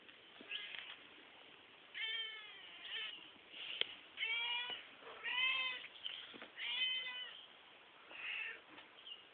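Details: Backyard cat meowing repeatedly: about six loud, wavering, harmonically rich meows roughly every one to one and a half seconds, with a thin, band-limited tone and light background noise between calls.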